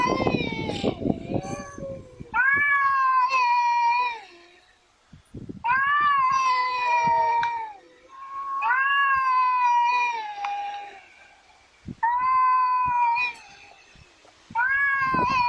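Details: Pet cat producing speech-like meows: five drawn-out, nasal calls, each starting high and sagging, spaced by quiet gaps of two to three seconds, with occasional bumps and handling noise.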